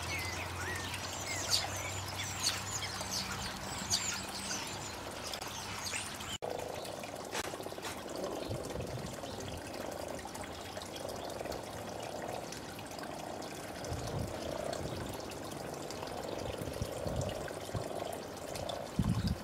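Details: Frogs on a garden pond on a nice day in early spring 2012, giving low, soft purring croaks that repeat and overlap in a steady chorus. High bird chirps and a low hum come in the opening seconds.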